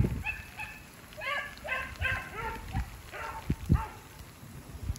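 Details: Two beagles baying as they chase a snowshoe hare through woods in fresh snow, with sleet turning to rain. Several drawn-out, harmonic bays overlap over a few seconds above low rumbling background noise.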